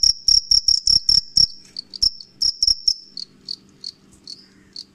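A cricket gives rapid, shrill pulsed chirps, fast at first and then slower and fainter.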